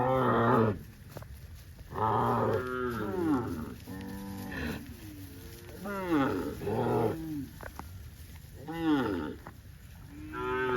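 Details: Tame cattle from a herd of dozens running in green grass rice fields on a cattle farm, several overlapping harmonic moos, some rising then falling, bursts roughly every two seconds with a low rumble beneath.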